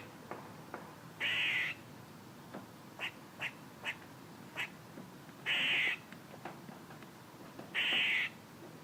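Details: Squirrel making noises: sharp short chirps at an uneven pace, broken by three longer harsh, buzzy bursts about half a second each, in a quiet background.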